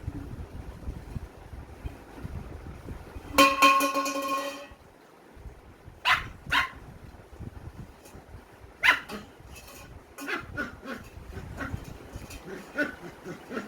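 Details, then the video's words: An Indian German Shepherd puppy barking for the first time gives a high, drawn-out yelping bark, followed by several shorter, sharper barks. "German Shepherd Puppy Barking First Time / GSD / Indian GSD"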